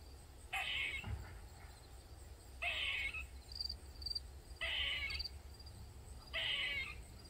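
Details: Squirrel in a Maryland backyard that had been crying for twenty minutes and kept on for over 45: four loud, rough, whining cries of about half a second each, repeated roughly every two seconds, over low background rumble.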